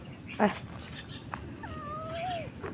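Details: Cat found in the morning among three cats sleeping by a roadside, giving one drawn-out meow that holds steady, then rises slightly before falling away, after a brief sharp noise; a person talks softly nearby.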